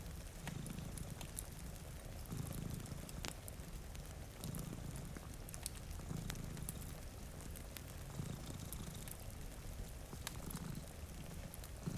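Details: Cats dozing by a rain-streaked window with a cozy fire. A deep, rumbling purr rises and falls in breath-paced waves about every two seconds, partly masked by rain hiss and scattered crackling from the fireplace.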